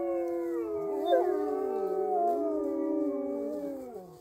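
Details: Several wolves at Polar Park howl together, drawn-out tones overlapping in a layered chorus; one voice swoops sharply upward while others hold steady or bend slowly, and the chorus fades at the end.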